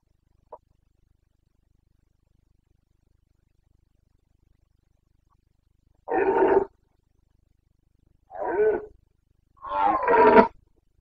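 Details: Rutting red deer stag in the Bucovina mountain forests, breeding season, 29.09.2022: after a long silence come three gruff, grunting roars about two seconds apart, each short and strongly harmonic.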